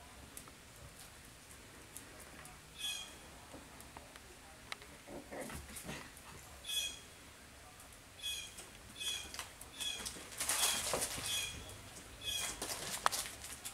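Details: Seven-week-old Cavapoo puppies at a licensed commercial kennel in Carthage, Missouri, giving thin, high-pitched yips and whines in short repeated bursts, growing busier and louder toward the end over a low room hum.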